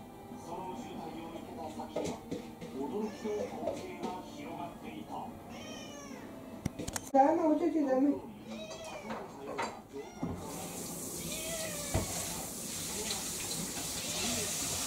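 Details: An excited five-year-old female ginger tabby-like mixed-breed cat waiting for dinner indoors makes several short meows and chirps, with clattering and handling noises, human voices, and a louder burst of sounds near the middle.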